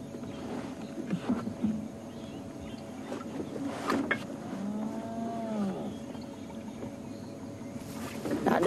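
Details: At sunrise on 17 January 2016 in Sabi Sand, a spotted hyena gives a low, moaning contact call that rises and falls, almost like a cow's moo, audible to hyenas kilometres away.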